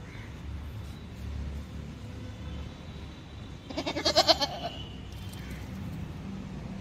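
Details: A goat in a mutton shop gives one short, wavering bleat with a quick pulsing tremble, heard over a quiet low rumble.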